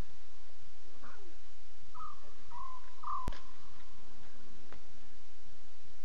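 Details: Safari Live, October 5, 2016, 2:40 a.m. CAT: lion cubs talking in three quick mews a half-second apart midway, preceded by a faint rough call, against a constant low hiss and a single loud click.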